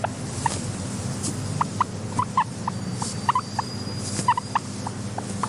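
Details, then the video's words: Pet guinea pig giving short, clucking chirps, each a quick rising note, in an irregular series of about fifteen over five seconds, set against a steady low hum of quiet ambience. "Are Your Guinea Pigs Making These Sounds?"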